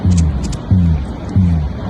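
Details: A school of black drum fish drumming underwater near Madeira Beach, Florida, during mating season: deep, humming bass booms repeated about every two-thirds of a second, like distant music with heavy bass.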